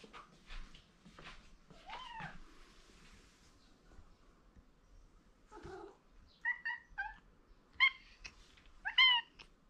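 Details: Male domestic cat indoors crying for attention from an owner he likes: one drawn-out meow, then a quick series of short, high chirping mews near the end, with soft clicks and rustling between them.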